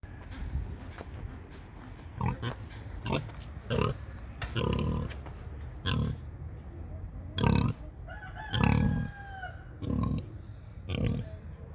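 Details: Large, burly pig making many noises: a steady series of short, deep, rough grunts, roughly one a second, with faint thin chirps and squeaks above them in the background.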